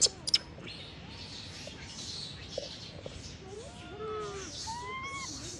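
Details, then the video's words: Baby macaque abandoned by its mother, lying on the ground and crying: thin, high, arched whimpers with faint overtones cluster in the second half, preceded by a few sharp clicks and a steady background hiss. "Baby monkey lying on the ground crying"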